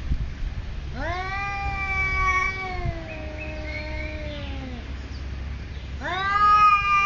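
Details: Cats squaring off over territory at a Thai resort trade drawn-out moaning yowls, each swelling upward then sagging slowly over several seconds, followed by another rising wail, with low background rumble throughout.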